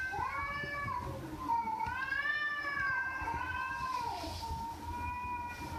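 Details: House cat meowing in a continuous series of wavering cries, each rising and falling in pitch with rich harmonics, run together over about six seconds with a faint hum underneath.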